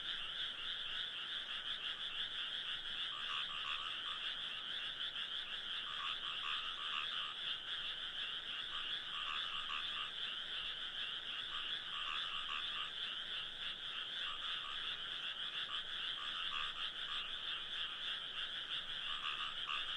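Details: Frogs calling in a continuous dense chorus, used as sleep background sound: a steady, rolling trill of overlapping croaks with no pauses, constant in loudness throughout.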